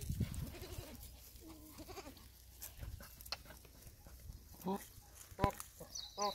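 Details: Bantam goat in Nasik bleating with a wavering, nasal call lasting over a second, then shorter bleats near the end, while people talk nearby in Hindi.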